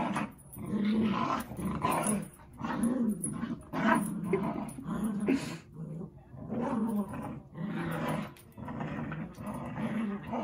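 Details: Dogs Zuko and Izzy playing together indoors, giving low rumbling growls in irregular bursts about once a second, with short pauses between them and a faint clatter of movement.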